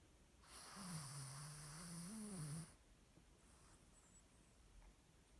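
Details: Sleeping Cavalier King Charles Spaniel snoring loudly indoors: one long rasping breath of about two seconds with a low droning tone that wavers and rises slightly near the end, then quiet room.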